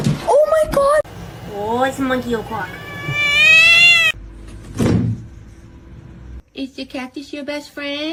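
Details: Domestic cat from a funny cat compilation, letting out stretched, rising meows amid laughter and people talking, followed by a burst of quick, choppy meows.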